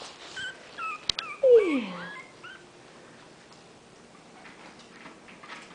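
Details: Twenty-day-old puppies, five of them, waiting for their mother Bitsy to feed them, give a short descending whine around 1.5 seconds, with fainter high squeaks before it and a click; otherwise quiet room.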